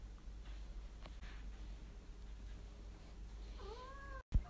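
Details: Domestic cat in the United States, on a scavenger hunt, giving one clear rising-then-falling meow near the end after quiet room noise, followed by a sharp click.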